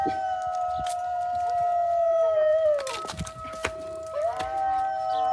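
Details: Dog howling in one long, steady, slightly falling tone held for several seconds, briefly broken in the middle before resuming, with faint clicks and background sounds.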